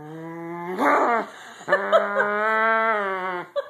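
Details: A cranky female corgi, told to get off the bed, gives a long, drawn-out, whining grumble, a low moan that holds steady and then fades.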